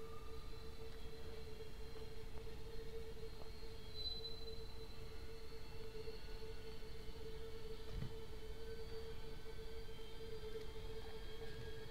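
A steady mechanical hum with a low rumble and a constant tone, like a train or machinery, with no animal calls.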